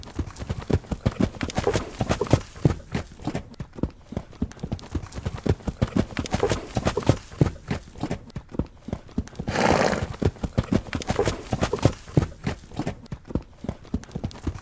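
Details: Galloping horses with a continuous run of dull, rhythmic hoof thuds throughout, briefly swelling around the middle with a soft rushing noise before the pounding resumes.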